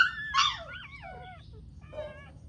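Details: Newborn dachshund puppies whimpering: high, thin, wavering squeals sliding downward, a cluster of three or four cries, then a softer whine after a pause; quiet low background hum.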